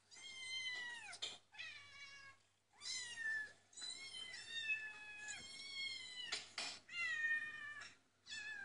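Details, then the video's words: Domestic cats heard through a computer speaker while a dog watches; a near-continuous run of bent, harmonic meows, some falling in pitch, with brief breathy noises between and a constant low electrical hum. "cats meowing"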